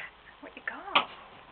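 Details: Three-day-old German Shepherd puppies in a litter: faint squeaks, then a short tonal whine that arches up and falls back, ending in a brief sharper yelp, with a person talking softly nearby.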